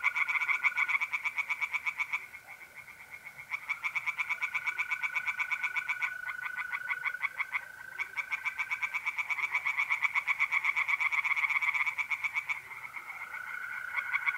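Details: April night at a pond in north-east Italy, several tree frogs singing in long rattling runs of fast pulses that swell and dip in loudness, overlapping a steady whistled trill from mole crickets.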